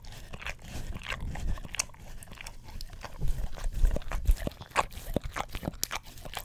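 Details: Close-miked licking by a pet English Cream Golden Retriever on an Orapup tongue-cleaning brush: soft low rumbling at first, then crisp wet clicks and slurps growing louder and quickening toward the end.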